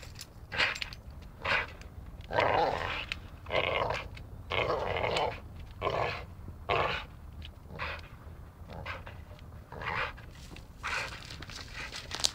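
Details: A dachshund playing and biting, growling in short gritty bursts roughly once a second, fairly steady throughout, with faint scraping and chewing noises underneath.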